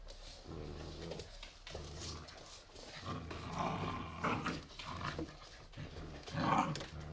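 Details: Playful pit bull puppies aged three months in an apartment, recorded 2017. A low, continuous rumbling growl runs throughout, broken by brief higher yips and squeaks near the middle and end, with indoor scuffling.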